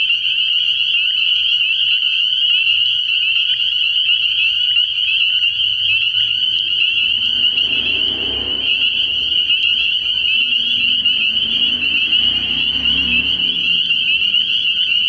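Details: Many spring peepers calling at night at a frog pond in early spring, their high piercing peeps merging into a steady shrill chorus, with faint low croaks rising underneath in the second half.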